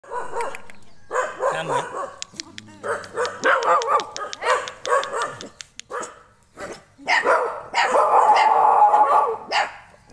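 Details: A puppy barking in short bursts, with sharp yaps and stretches of whiny, yelping cries, some sustained and wavering, broken by brief pauses; faint speech may be present in the background.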